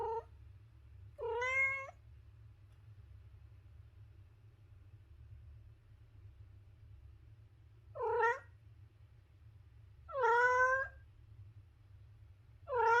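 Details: Pet cat meowing repeatedly: short, slightly falling meows spaced irregularly a few seconds apart, five in all, with silence and low background hum between them.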